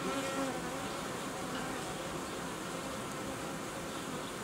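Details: Crowd of honey bees at an apiary where colonies are united and old queens replaced; constant dense buzzing hum, slightly louder at the start, with a few faint tonal streaks early on.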